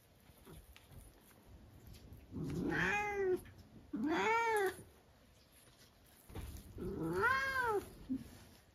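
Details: Turkish Angora cat, a talkative indoor pet, giving three drawn-out arching meows, each rising then falling, spaced a couple of seconds apart, in a quiet room.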